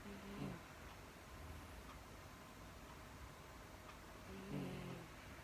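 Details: A female Miniature Dachshund pet falls asleep indoors and snores, with two soft, low, rasping breaths about four seconds apart over a quiet room hush.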